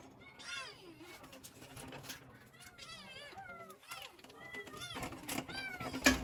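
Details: Several kittens wanting their mother give a rapid run of short, bent meows that rise and fall, overlapping at times, with rustling and handling noise between them.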